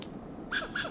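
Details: Western gray squirrel on a coast live oak in Del Monte Forest, California, giving loud alarm calls: two short, harsh, staccato bursts about a third of a second apart over a low background hum.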